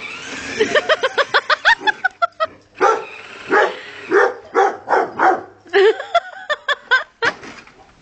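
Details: Pet Rottweiler barking while playing with a car: a rapid run of short, evenly repeated barks, then several louder, longer barks about every half second.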